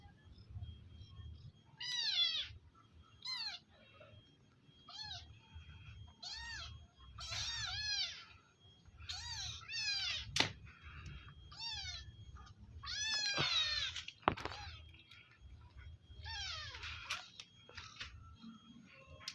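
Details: Village cats being fed, giving high arched harmonic meows, short and repeated in quick bursts, several overlapping through the clip, with clicks and low room rumble behind.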